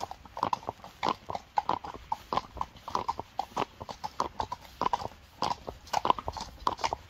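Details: Friesian horses' hooves clip-clopping in quick, uneven, overlapping sharp knocks, several strikes every second throughout, with a faint background hiss.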